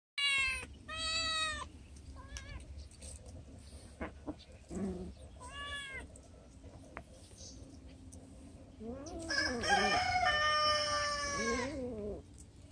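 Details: Several cats meowing while being fed, with harmonic, rising-and-falling meows in short bursts early on and a louder, longer overlapping cluster of calls near the end, over a steady low background hum.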